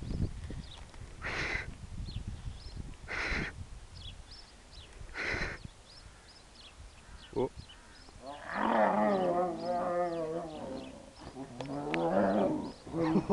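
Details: Two Sumatran tigers fighting at Howletts Zoo, Canterbury, with sharp noisy bursts at first, then drawn-out harsh snarling growls in two long bouts near the end, and people talking in the background.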